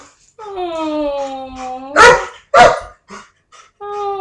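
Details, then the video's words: Dogs shut indoors, wanting out while guests are in the yard: a long howl falling in pitch, two sharp barks, then another steady, rising howl begins. "Dogs speaking"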